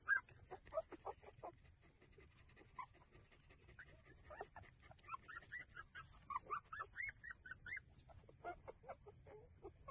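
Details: Breastfeeding puppies keep up a run of high, arching whimpers and soft squeaks, coming faster and overlapping in the second half as several pups call at once.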